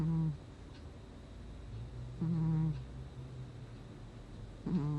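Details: Snoring of the domestic cat Gnusmas during sleep in August 2020: three deep, droning breaths, one drawn out for about a second, the others brief, separated by soft quiet breathing.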